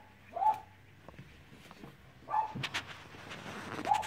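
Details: Cavalier King Charles Spaniel puppies romping produce three brief high-pitched whines, roughly two seconds apart, mixed with scratchy scuffling and clicking noises from the play.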